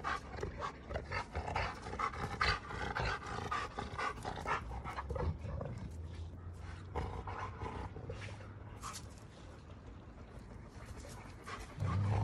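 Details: Two Giant Schnauzers, Garvey and Luther, in a heated argument with each other: low rumbling growls swell and fade with heavy panting and scuffling noise, and a deeper sustained growl comes near the end.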